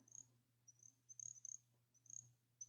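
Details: Little grass frog (Pseudacris ocularis), a Coastal Plain chorus frog, gives very high, thin, tinkling, chiming chirps that are hard to hear and sound much like an insect.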